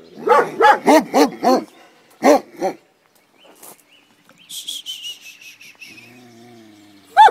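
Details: Komondor guarding a boathouse near the cave bath in Miskolctapolca, Hungary: a rapid burst of five barks, a pause, three more barks, then quieter background sounds and a final bark.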